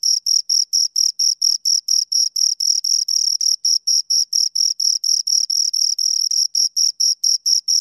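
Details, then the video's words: Steady chirping of two crickets: piercing high pulses repeated around four per second, slightly uneven spacing midway where chirps overlap, with no background noise. "Two Crickets Chirp Sounds"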